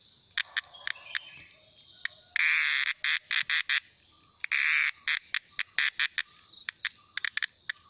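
A cicada gives loud, harsh buzzing bursts broken by rapid clicking pulses.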